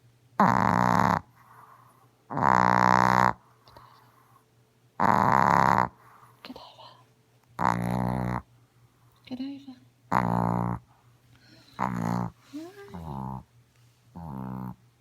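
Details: Godiva, a pet female Chihuahua, snoring loudly while asleep as she usually does: long, buzzy, harmonic-rich snores about every two and a half seconds, with shorter, wavering snorts toward the end in a quiet room.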